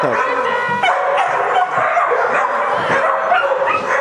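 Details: Smooth Collie Blue Planet Leneli "PeeTee" during protection (defence) work at a 2008 smooth collie meeting; loud, rough barks with high yelping notes, mixed with people talking nearby.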